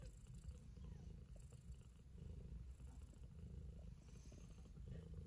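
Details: Kitten purring during a meal with pure pleasure: a dense low vibrating rumble swelling and easing in waves, with soft scattered clicks.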